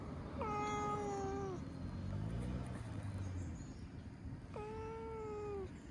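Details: Stray ginger tabby cat relishing being stroked and massaged gives two clear, drawn-out meows about four seconds apart, each level then dropping at the end, over a continuous low background rumble.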